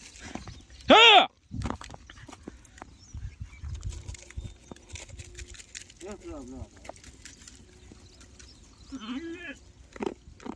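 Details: Lambs on a farm that are given extra feeding when their mother's milk is not enough. One loud, wavering, strongly harmonic bleat near the start, then fainter quavering bleats later, with men talking throughout.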